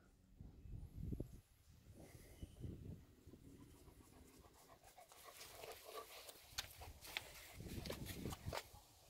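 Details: German Shepherd named Major at dinner, breathing in quick, rough, breathy pants in irregular noisy bursts, with scattered clicks and clatter of eating or moving around, fairly quiet throughout.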